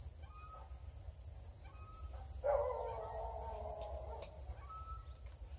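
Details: Crickets chirping during a search for crickets: a steady high, fast-pulsed trill runs throughout, with a broad rustling burst lasting about two seconds midway and faint thin whistled tones in the background.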